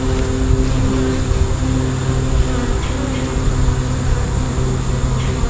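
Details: Swarm of honey bees: a dense, continuous humming drone with steady low tones and a constant rough buzz, unbroken from start to end.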